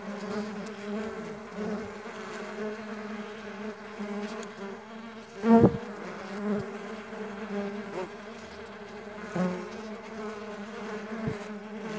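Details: Mandaçaia stingless bees on the wing produce a steady buzzing drone, broken by one loud close fly-by near the middle and a few softer nearby passes later on.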